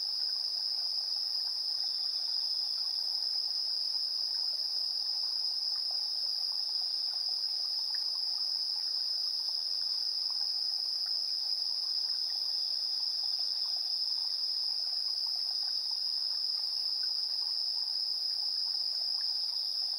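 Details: Insects chirping at dusk, 7:04 PM on 3 September 2022, with a TASCAM Portacapture X8's internal stereo pair: one unbroken high, ringing trill dominates, backed by a quieter, very high shimmer and scattered low ticks.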